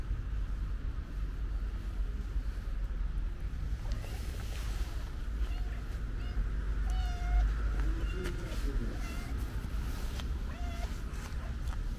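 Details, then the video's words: Affectionate pink-nosed stray cat on the street gives a few short, high meows around the middle and end, set against a steady low rumble of traffic. "Pink nose cat is so affectionate"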